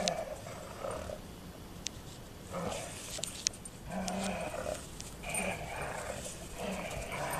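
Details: Two Golden Retriever bitches shift from play to a real scuffle; repeated throaty growls come in rough bursts of about a second, close together, over faint clattering and movement noise.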